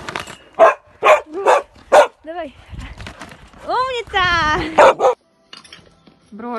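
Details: Samoyed dog called Bro gives a run of sharp, loud barks about every half second, broken by a rising and falling whiny yodel with stacked harmonics, then more barks and a final short whine.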